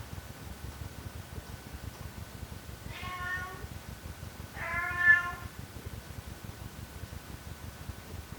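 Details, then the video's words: A cat gives two clear, wavering meows a second and a half apart, the second louder and longer, with quiet background noise and a faint steady tone. "Efeito sonoro de gato miando"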